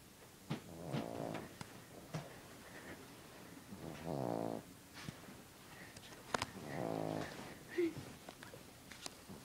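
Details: Sleeping dog snoring, three long rasping snores roughly every two and a half to three seconds, each a buzzy, ribbed rumble, with quiet breathing and small clicks between.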